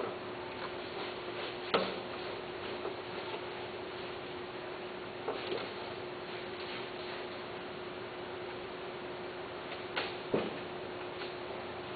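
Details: Quiet indoor room hum with a steady tone and a few soft clicks and taps, no animal voice heard.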